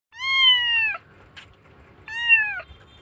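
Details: Rescued kitten in Indonesia crying loudly because it misses its mother: two long, high, clear meows, each slightly falling in pitch and ending in a downward slide, separated by about a second of quiet with a faint click.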